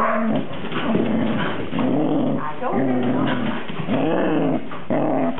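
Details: Cardigan Welsh Corgi recorded on 13 November 2008, indoors: a low, rumbling growl with tonal whining rises, repeating roughly once a second through the whole stretch, with no other clear sounds.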